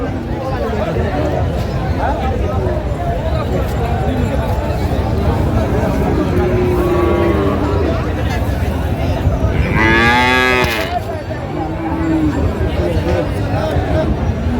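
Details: At Raniganj market in Dinajpur, Bangladesh, where Friesian and crossbred bull calves are traded on 24 April 2025, one calf's short rising and falling moo cuts through near the end over continuous crowd chatter and traffic rumble.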